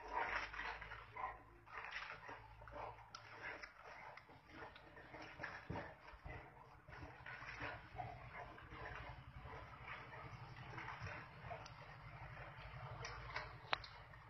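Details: Fighting wild boars squeal and grunt in rough, broadband bursts, rising and falling in intensity, while a steady low mechanical rumble like an engine runs beneath the second half.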